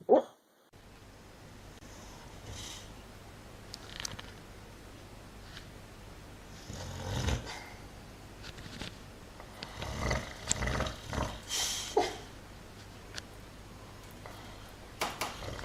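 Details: A sleeping dog, dreaming, snores in raspy, breathy bursts: one swell near seven seconds, then a quick run of rhythmic snorts toward the end, over a steady low indoor hum.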